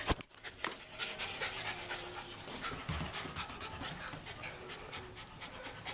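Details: One-year-old female terrier mix at an adoption shelter, panting quickly and steadily in rapid breathy puffs throughout, with a faint click near the start and a low background hum.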